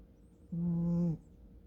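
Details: Kkomi, a pet American Shorthair cat, snores in her sleep. A single low, steady droning snore lasts just over half a second against a faint background hum.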